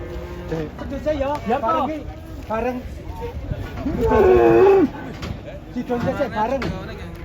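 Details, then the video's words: Angry cow, horn broken, coming down off a truck: a loud, strained, sustained moo in the middle stands out amid excited human voices, with a few shorter bellows around it. "SAPI NGAMUK TANDUK NYA SAMPE PATAH TURUN DARI TRUK"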